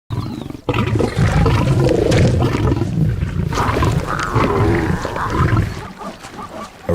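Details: Lion in a wildlife documentary about tree-climbing lions: a deep, rumbling roar-like vocalisation with low throaty pulses running for several seconds, in a natural outdoor setting.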